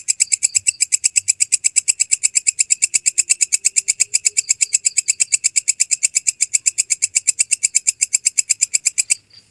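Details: Walang kecek grasshopper, recorded clearly as a tutor sound for training songbirds: a steady, rapid train of sharp, high ticking pulses, about five per second, running unbroken for nine seconds before stopping abruptly.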